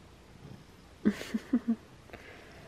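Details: Butters the cat gives short, low murmured meows on getting out of bed in the morning: four quick chirps in under a second, then quiet room noise.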